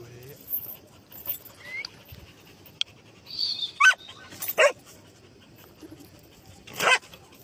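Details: Golden Retriever giving three short, sharp barks spaced over a few seconds, the last after a longer pause, with quiet talking and faint background noise between them.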